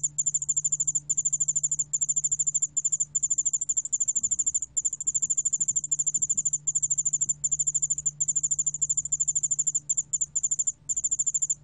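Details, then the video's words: Yeoul-allak-bangul-beolle cricket from Korea, recorded in 2020, giving high, thin, rapid trilled chirps. They run in long unbroken trains with brief gaps, over a steady low hum. "여울알락방울벌레, 1번 듣기, 곤충소리"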